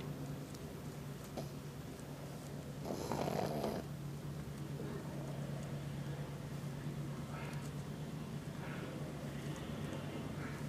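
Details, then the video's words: Sleeping Pug Izzy snores after a hot afternoon of wrestling outdoors with the larger dog Toby; soft, low, rapidly repeating rasping breaths with a louder burst around three seconds in, in a quiet room. "Pug Dog Izzy Sleepy-Snoring-Guard Dog!!!"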